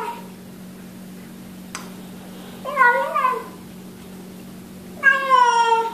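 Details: Eating cat or kitten giving two meows described as yum yum yum: a short wavering mew, then a brighter, falling, strongly harmonic meow, with a low electrical hum behind.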